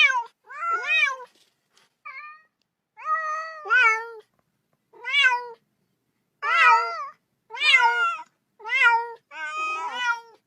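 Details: Kitten at play with a ball calls to join in, giving a run of loud, bright meows, some doubled, with short pauses between bursts.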